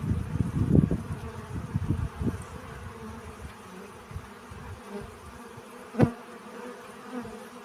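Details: Pollen-collecting bee heard as a close, low buzz for the first two seconds, then a fainter drone, broken by one sharp click midway through the later quiet hum.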